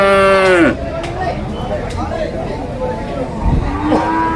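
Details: Young water buffalo for rearing at Cholakkal market, Payyanad, Manjeri, Kerala: a loud, tonal bawl lasting under a second that drops away abruptly, followed by a low market murmur of voices and background noise.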